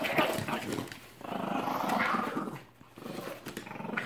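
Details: Mastiff Brick and Terrier Merry in a play-fight. Loud, continuous snarling growls swell and fade over about four seconds, dipping briefly near the end before rising again.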